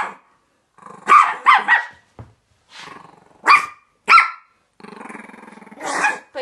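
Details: Indoor Chihuahua playing and acting up with a chinchilla gives short, sharp yapping barks in uneven bursts. A pulsing, rattling growl follows midway, then another bark, with a woman's voice between the barks.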